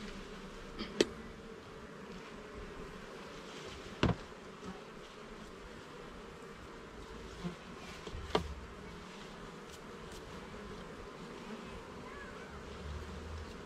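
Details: Honey bees in a garden hive during an inspection of its levels and frames: a steady low droning hum with faint banded tones, broken by sharp knocks and clicks from handling the frames around one, four and eight seconds.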